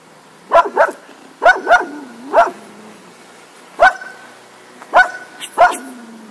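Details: Cocker Spaniel barking: sharp, mid-pitched barks given singly and in quick pairs, seven in all with irregular gaps, some followed by a short low whine.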